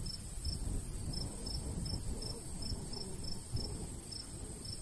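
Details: Cricket chirping in summer countryside near golden wheat, sharp high pulses roughly twice a second, partly masked by louder low rumbling breeze.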